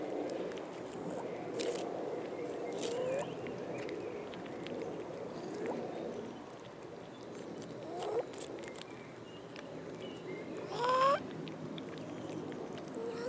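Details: Abandoned cats in a city park begging for food; several rising meows spread across the clip, the loudest near the end with a sharp upward sweep, over steady outdoor background noise.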